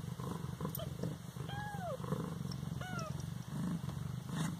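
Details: An 18-day-old Siamese kitten from Bas-Saint-Laurent gives two thin, high mews, each falling in pitch, about a second apart, over a deep continuous purr and a faint steady hum.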